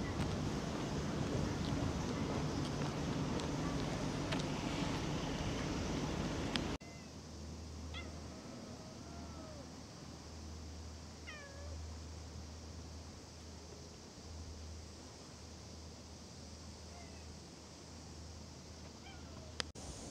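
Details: Stray cat in Japan giving several short, faint meows that bend up and then down, scattered over the second half, after a loud, rushing noisy opening; a low, steady pulsing hum runs underneath.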